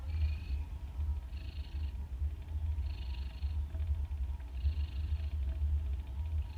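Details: Domestic cats asleep at 2:30 in the morning, snoring in a deep, steady low rumble that swells and eases with each breath, about every one and a half seconds, with soft airy breath noise above it.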